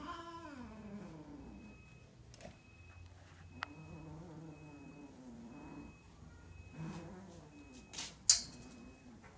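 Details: Cats during mating, long moaning yowls that rise and fall in pitch, several drawn-out bouts, with a sharp click and brief rustle near the end.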